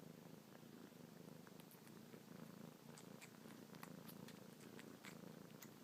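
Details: Young domestic cat suckles on fingertips and purrs non-stop: an even, low, droning rumble with no breaks, dotted with faint sucking clicks every fraction of a second.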